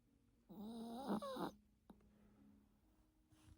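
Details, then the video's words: Yorkshire Terrier named Teto snoring while napping: one long snore of about a second, rough and breathy with a whistling nasal tone that rises and dips, then a faint click and quiet room hiss. "요키 테토공쥬❤️코골이"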